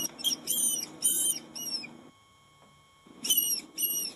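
A rat gives short, high, arched squeaks in quick bursts with a brief pause.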